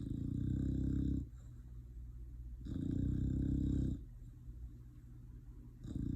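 A sleeping English Bulldog snores in long, low, rattling rumbles that come and go with each breath.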